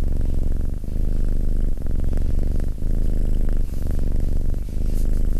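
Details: Fluffy yellow cat with a steady, deep, close-up purr, a low rattling drone whose breath cycles swell and break about once a second, with faint rustling above it.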